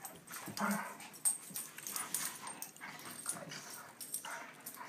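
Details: Play between two dogs, big Sandy and little Dottie; muffled growls, whines and short yips in loose clusters, mixed with rustling and movement noise.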